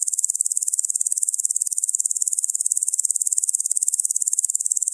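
A locust gives a high, hissing buzz broken into rapid, even pulses.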